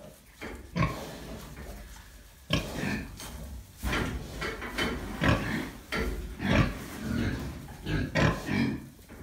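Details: Gloucester Old Spot sow, recently farrowed, with newborn piglets on a farm in Pembrokeshire; repeated short, harsh grunts in uneven bursts, roughly every second or two, with broadband rustling between them.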